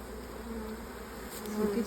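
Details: Honey bees from a late swarm that moved into an old, crowded, honey-bound hive, heard as the hive is opened: a steady low hum with bands near 200–500, brief brighter buzzes toward the end.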